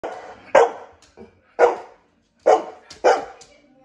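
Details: Female pet dog barking at her owner, who wanted to brush her; four sharp, loud barks about a second apart, with a softer yip between the first two.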